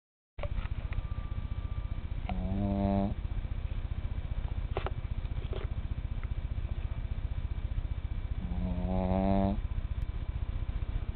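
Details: A tiny male pet snoring at bedtime: a steady low, rapid rasping rumble runs throughout, broken twice by a louder, whistling, tonal inhaled snore lasting about a second, with a few faint clicks.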